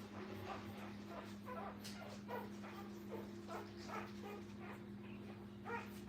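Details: Brittany puppies with their mother at a training kennel. Short high yips and whimpers recur every second or so over a steady low electrical hum in a quiet indoor room.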